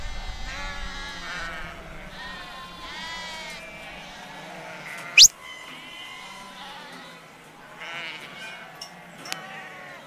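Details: Several sheep being worked in yards by a farmer and dog beside Jacobs Creek bleat over one another in wavering, quavering cries; a sharp bang sounds midway, then a fainter knock near the end.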